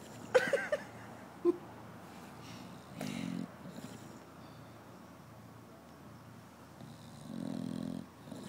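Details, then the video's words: Sleeping bulldog snoring hard, cheeks puffing: two low, buzzy snore bursts about four seconds apart, after a few short squeaky clicks at the start, over quiet room hiss. "bulldog snoring"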